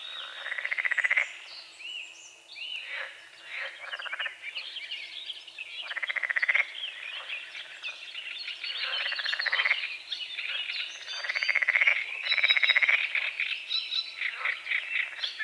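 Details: Morning frogs over a small lake bordered by forest, fog on the water at dawn; repeated trains of rattling croaks come every few seconds among bright bird whistles and chirps.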